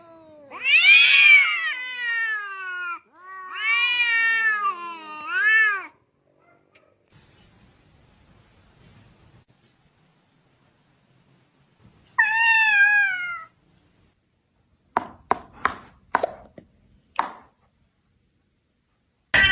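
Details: Domestic cat meowing in a home: several loud, drawn-out wavering meows in the first six seconds, a rising-falling meow near twelve seconds, then short sharp clicks and knocks toward the end.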